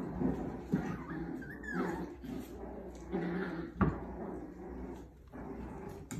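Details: Puppies playing: a short high whimper that swoops up then down, low grumbling growl-like noises, and a sharp knock partway through, over a scuffling background.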